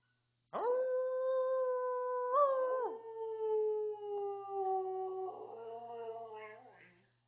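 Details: Twelve-year-old pet Siberian Husky named Tuscany howling indoors, a long sustained tonal howl that holds steady, jumps briefly higher mid-call, then slides gradually downward and trails off into a wavering whine, lasting about six seconds.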